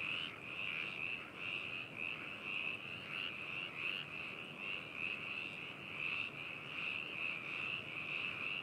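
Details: Massed frog calls at Hakushu, Hokuto, Japan, recorded on 4 May 2018 with binaural microphones and a ZOOM H2n. A steady, buzzy, high-pitched chorus pulses gently, with faint individual croaks now and then.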